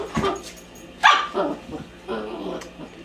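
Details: A female puppy barks at a mop, letting out a few sharp, high-pitched yaps in quick bursts while a man's voice talks over and between the barks.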